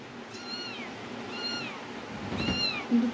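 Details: Domestic cat meowing three times, each call a drawn-out harmonic arc about a second apart, with a person speaking nearby in a small indoor room.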